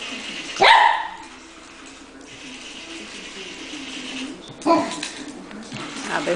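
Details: A puppy playing with a remote-controlled toy spider gives one sharp bark near the start and another around the five-second mark, with low household hum and faint voices between.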